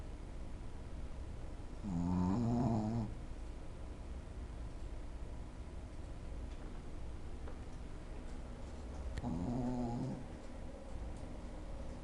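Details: Shih Tzu named Lunna Prince Dubai, fast asleep and snoring indoors; two harmonic rasping snores about seven seconds apart, each lasting roughly a second, with quiet breathing and room hum between.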